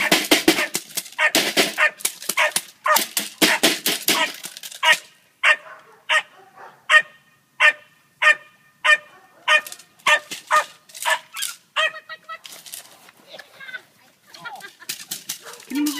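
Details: Ten-week-old puppy giving loud noise: a rapid run of sharp high yapping barks for about five seconds, then spaced single yips roughly every second, ending with softer whines.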